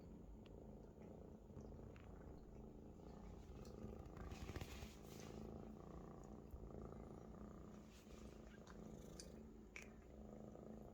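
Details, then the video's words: A comfortable Maine Coon kitten purring loudly while lying on a large adult Maine Coon; a deep, even rumbling purr that runs without break, a few soft taps and rustles over it. "A Big Friend Is the Best Bed for a Purring Kitten"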